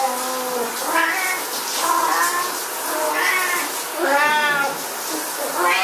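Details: Siamese cats at shower time meow loudly and repeatedly, drawn-out wavering calls over a steady hiss of running water.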